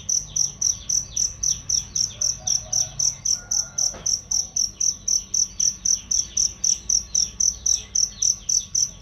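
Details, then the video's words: Cricket training recording for songbirds: crisp, high chirps repeated regularly nearly four times a second, with a faint short click midway and dim bird notes behind. "masteran jangkrik untuk burung"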